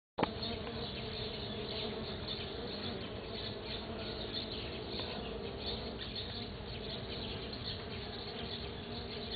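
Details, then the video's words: Stingless bees foraging on a sunflower, recorded 09 12 2013: a steady, dense buzzing hum with layered low drones, unbroken for the whole stretch after a sharp start, with no other clear sounds. "my Stingless bees on my Sunflower"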